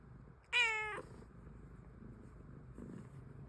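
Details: Domestic cat letting out a single clear, bright meow lasting about half a second, held fairly level before it falls slightly, followed by a quiet indoor room.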